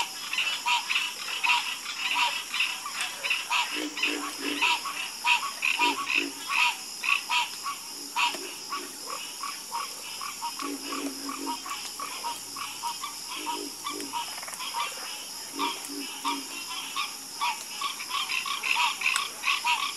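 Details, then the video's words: Dense chorus of frogs croaking, many callers overlapping in fast, rattling bursts that swell and fade, with lower, deeper croaks in clusters beneath and a background hiss. "Calming Sound Of Harmonious Frog Croaking"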